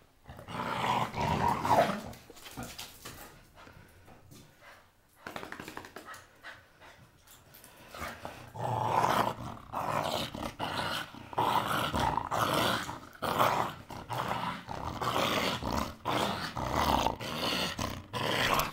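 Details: Blue Staffordshire Bull Terrier at play with a toy: low, grinding growls at the start, a quieter stretch in the middle, then repeated sharp scuffs and clatters mixed with further growling.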